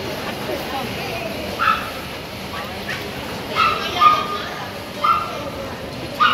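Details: Female toy poodle puppy, three months old, playing in a shopping mall, letting out scattered short sharp yips, some in quick pairs, against constant indoor crowd hum.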